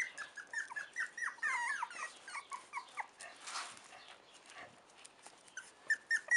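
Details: Several four-week-old Chow Chow puppies whimper and squeal together, overlapping high, wavering whines that rise and fall in a steady stream of short cries, some sliding downward, with a brief rustling noise midway.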